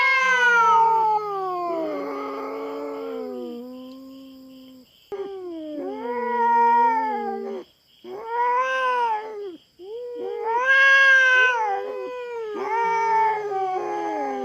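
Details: Intruding feral cat at a Philippine farm, in a standoff with a black cat: broken series of yowls in separate bursts, each swelling and sagging in pitch, with short silent gaps and a steady thin buzz underneath.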